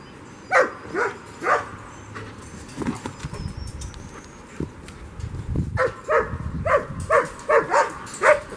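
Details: German Shepherd playing frisbee outdoors on April 30, 2022: three sharp barks in the first two seconds, a quiet stretch of rustling and footsteps, then a fast run of about seven barks near the end.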